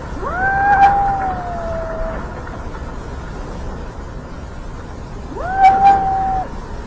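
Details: Cat on the street, where a kitten first meets its father cat: two long tonal meows, each rising quickly then holding a steady, slightly falling tone, the first lasting about two seconds and the second about one second, over steady background traffic hum.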